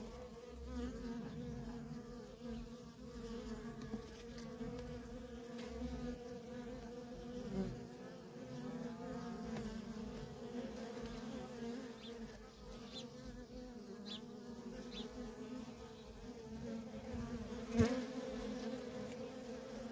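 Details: Worker honey bees in nonstop traffic at a feral colony: a steady, droning hum with two low tonal bands. Individual bees pass close, briefly louder, including a sharp peak near the end.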